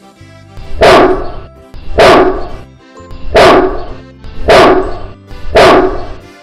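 A Great Dane gives deep, booming barks, one roughly every second, with faint music underneath.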